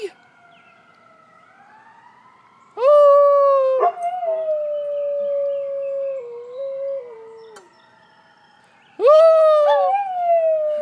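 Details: Domestic dog howling at an ambulance: two drawn-out howls that rise sharply and then hold and step downward, separated by a pause, over a faint wailing siren in the background.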